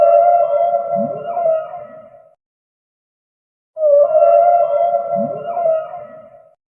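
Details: Humpback whale: a steady, tonal moan with stacked harmonics and a low swooping rise partway through. It fades out, then after a gap of about one and a half seconds an identical moan repeats. Two calls, nothing else audible.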